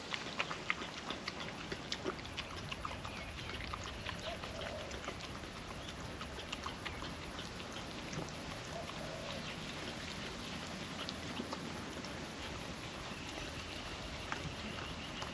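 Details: Female puppy working wet food out of a food trapper mat on a windy day; scattered smacking licks and crisp mouth clicks sit over a continuous windy rush.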